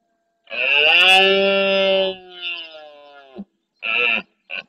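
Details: Red deer stag at dawn in the marsh of Doñana National Park, Andalusia, Spain, courting hinds of his herd and roaring forcefully to warn other males off his territory and harem; one long, harmonically rich bellow fading off, then two short blasts.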